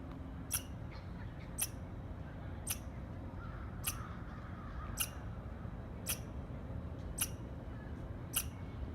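Short, piercing chirps from a squirrel come at a steady pace, roughly one each second, each a brief dry snap. A constant low rumble, like distant wind or traffic, fills the background.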